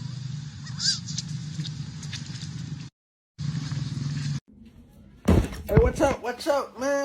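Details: Young monkey crying and fussing for milk: after a quiet stretch of low rumbling background broken by brief silent gaps, a burst of loud, arching, harmonic wails and squeals tumbles out in quick succession near the end.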